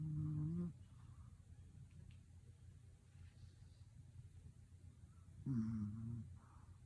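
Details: Tired Pomeranian puppy asleep, giving two low, droning snores with a faint whistly hum, one at the start and one near the end, separated by quiet breathing.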